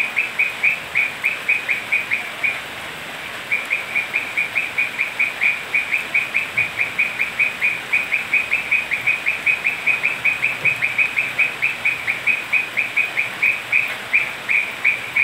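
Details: Toads croak in night rain at Manu National Park, Cusco, Peru: a long run of quick, high, evenly spaced notes, a short pause near the start, then the rhythm resumes over continuous rain hiss.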